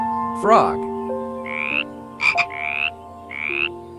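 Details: Frog croaking in a short series of rising, nasal, harmonic calls, each about half a second long and spaced roughly a second apart, over steady background music with a brief squeaky burst near the start.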